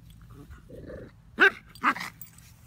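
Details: Playing puppies, an Old English puppy and a mutt; a soft low growl, then two sharp loud barks half a second apart over a quiet background hum.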